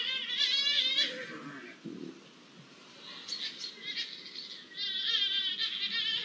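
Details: Mating Iberian lynxes, recorded 05-01-24, give quavering, tremulous yowls that rise and fall, with a brief low growl-like sound midway before the warbling calls resume.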